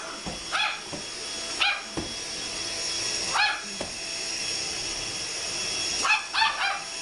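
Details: Chihuahua indoors barking frantically while a vacuum cleaner runs, attacking it: sharp high yappy barks in short bursts of one to three, spaced irregularly, over the loud steady whine of the vacuum.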